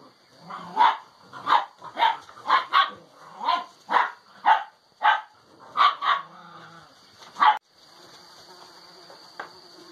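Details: Six-week-old Alano Español puppies playing in a kennel, showing developing social behaviour; a quick series of about a dozen short, high yelping barks over seven seconds, then quiet with a faint steady high tone underneath.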